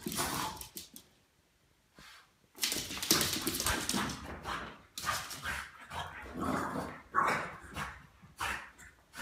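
A Boston Terrier barks in loud, excited bursts, with whiny yelps between them.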